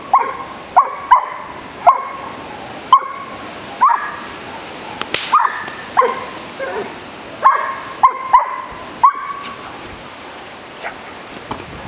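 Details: Giant Schnauzer, named Blackmoore, delivers around fifteen clipped, resonant barks in irregular bursts, some in quick doubled pairs, with short silences between volleys and softer barks trailing off toward the end.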